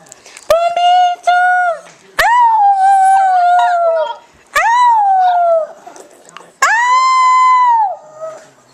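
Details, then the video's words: A pet dog sings in sustained howls about one to two seconds long. Each starts with a slight upward swoop and then holds steady. Four main phrases are separated by quiet pauses and a few sharp clicks. "Cute Dog Singing!"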